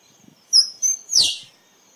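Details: Squirrel giving a sharp, high-pitched call: a thin whistled note held briefly, then a loud downward-sweeping squeak, with little background noise.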